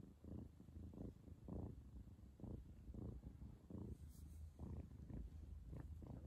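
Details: A female cat purrs while kissing her mother, a low, steady rumbling purr pulsing in rhythmic bursts about every half second, close and soft, with no other sounds.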